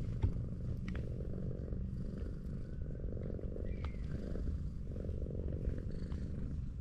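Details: Low, rhythmic purring from a tortoiseshell cat being stroked on a sloped street, the rumble pulsing steadily with a few light clicks and rustles over it.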